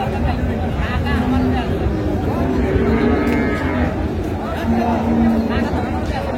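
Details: Cows with calves at Amberi livestock market in Dinajpur on June 6, 2025; low drawn-out mooing tones rise briefly several times over a constant din of crowd chatter and market bustle.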